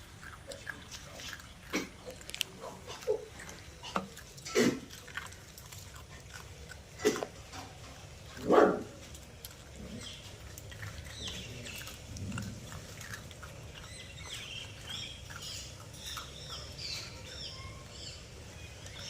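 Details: Puppies eating: scattered sharp crunching and smacking bursts through the first nine seconds, strongest near the middle, then softer continuous munching over a faint steady background hiss.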